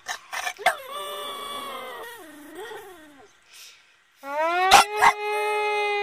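A Boston Terrier gives a drawn-out, wavering howl that bends up and down, then a steadier rising one.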